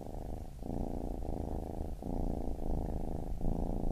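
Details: Loud, close purring of a baby kitten, a thick low drone with inhale-exhale breaks roughly every 0.7 seconds and nothing else audible.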